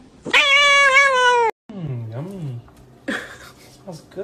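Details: House cat letting out a long, strong meow that sags slightly in pitch, followed by a sudden cut, then a low human voice and a second, fainter cat cry near the end.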